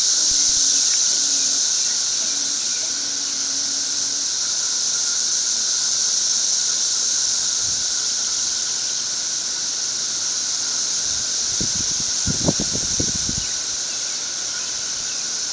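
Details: A very loud chorus of thirteen-year periodical cicadas covering a tree keeps up an unbroken shrill hiss over a steady lower hum. Brief low rumbles of camera handling come near the end.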